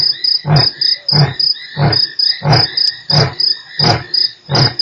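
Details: Lion (Panthera leo) roaring at Nkorho on 3 March, a run of deep, breathy grunts about one every two-thirds of a second over chirping crickets; one of 8 roars within 60 minutes.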